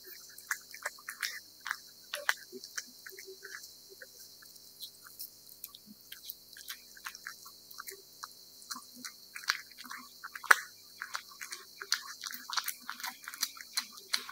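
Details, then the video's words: Close recording of a cat chewing wet food: quick moist clicks, licks and smacks in irregular bursts, nearly continuous for about fourteen seconds against a quiet background. "貓吃濕糧聲音 CAT EATING SOUND"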